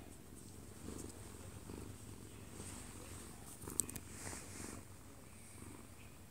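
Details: Kkobugi, a one-year-two-month-old odd-eyed Munchkin cat, falling asleep in its dad's arms indoors, recorded close up; a low, steady, softly pulsing rumble of purring, with a television playing faintly in the living room.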